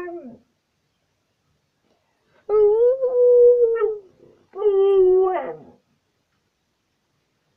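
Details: Pet dog making its 'talking' vocalisations: two drawn-out, tonal howl-like notes around mid pitch, the first steady and slightly arched, the second wavering and ending in a whimper, separated by a short silence, after a brief opening whine.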